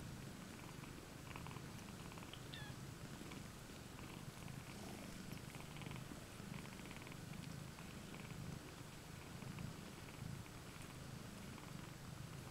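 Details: Domestic cats, two mothers and seven kittens sharing one basket indoors, recorded 20 May 2015: a steady, continuous low rumbling purr runs throughout, with one faint, brief high mew early on.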